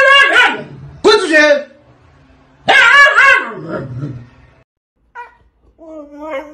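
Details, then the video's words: Siberian Husky in a fit over not being let out, three strong screaming bursts with falling, wavering pitch, then softer whiny fragments in a small room. "husky screaming woof!"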